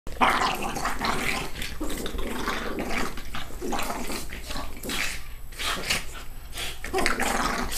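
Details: Two dogs play fighting in the morning, one rolling on its back while biting; rough, broad growling and snarling bursts with scuffling noise throughout.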